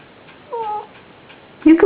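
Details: Dog frozen in place while wearing a Santa costume, making a strange whining noise: two short tonal whines with a falling, slightly wavering pitch, followed by a louder burst as a woman speaks to him indoors.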